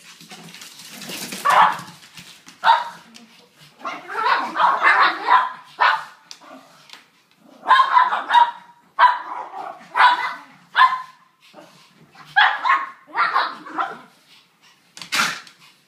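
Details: Three Brussels Griffons, Bogart, Gatsby and Garbo, wrestling and playing rough indoors; harsh, gruff barks and growly yaps come in quick bursts of two or three, with short pauses between, loud and close.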